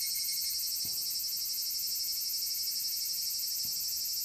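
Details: Evening cicadas (Tanna japonensis) give a high, shimmering chorus pulsing about four times a second, recorded on 5 August 2014 near Dosokei gorge, Ibara, Okayama, Japan.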